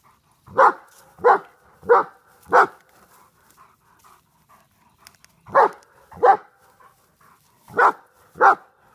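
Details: Big German Shepherd from Czechoslovakian bloodlines barking at a groundhog: a run of four steady barks, a pause with faint small sounds, then two pairs of barks, rhythmic and loud.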